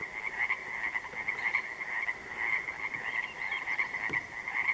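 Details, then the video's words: Chorus of Pacific tree frogs (Pacific chorus frogs) at dark on an interior lake, June 3, 2014; many overlapping raspy two-part croaks merge into a constant pulsing wall of sound, with louder individual calls standing out now and then. "The Sounds Of Pacific Tree Frogs At Dark, On An Interior Lake"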